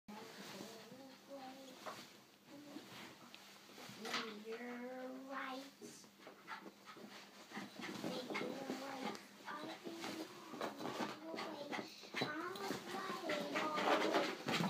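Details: Pet dog named Ben, excited for a treat and running around indoors: high, wavering whines and squeaky whimpers in uneven bursts, mixed with panting and scrabbling, while a person talks and tells him to stop and sit.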